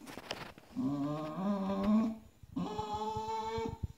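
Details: Stubborn Bulldog on a bed, pressing the other dogs to make room for him, gives two drawn-out tonal whining moans, the first wavering and rising slightly, the second steadier, in a small indoor room.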